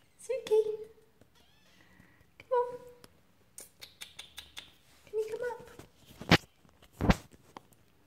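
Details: Thin, high kitten mews from Persian Siamese kittens Totoro and Suki as they try to climb a step, three drawn-out cries spaced a few seconds apart, with a coaxing human voice and two sharp knocks near the end.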